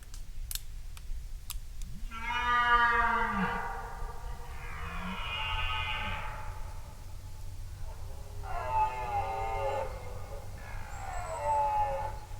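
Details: Red deer roaring in a forest during the rutting season, the stag off to one side rather than straight ahead; several long, deep, harmonic-rich bellows with pauses between, steady low rumble and forest ambience underneath.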